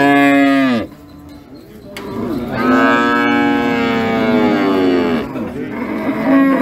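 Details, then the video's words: Sacrificial cattle raging: a moo ends near the start, then after a pause comes a long sustained bellow of about two and a half seconds that slowly falls in pitch. A further moo begins at the end. "Sapi Moo"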